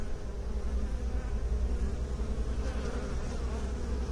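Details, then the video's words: Continuous low bee buzzing, an even droning hum with stacked overtones and no breaks, holding a fairly constant level throughout. "Bee song"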